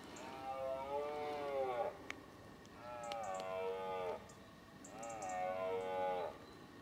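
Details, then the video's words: Rutting red deer stag, 2018: three drawn-out harmonic bellows of about two seconds each, repeated every two seconds or so. Each call dips and wavers in pitch, over a steady low background rumble. "Brame du cerf 2018"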